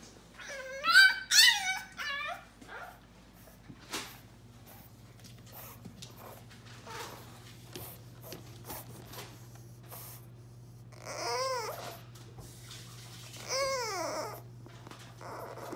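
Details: A new French Bulldog puppy, kept out of the kitchen behind a baby gate, cries like a human baby in high, wavering whines that rise and fall, with a steady low hum behind.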